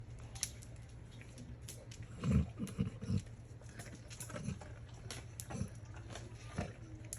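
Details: Tibetan Mastiff dog making pig-like noises: short, low, snorting grunts in a quick cluster, then scattered softer snorts, over faint background hiss.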